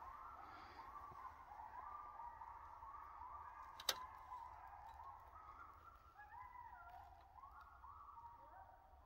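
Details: Coyotes in the back woods howl together in long, wavering tones that slide and step up and down in pitch.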